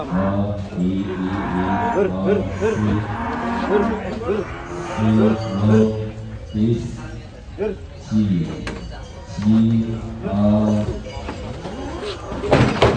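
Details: Pegon cattle arriving for a cattle contest in Kediri in 2022, heard during unloading: a string of repeated low, resonant moos, some short and some sustained, mixed with background music and clatter.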